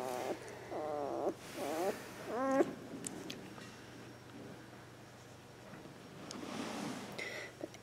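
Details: Two-week-old Border Collie puppy Bailey, born April 18th 2014, among littermates with eyes newly open and bellies full, sleepy; a run of high, wavering squeaky whines in the opening seconds, then soft rustling and quiet breathing.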